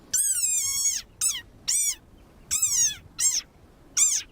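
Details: A very angry desert rain frog gives its war cry: high, squeaky, toy-like cries in short bursts that fall slightly in pitch, sounding like a dog toy.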